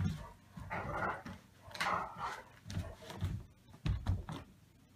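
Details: Rudy the Rottweiler playing with Xiva, a foster puppy, indoors; rough, noisy growl-like bursts come about once a second with thumps between them.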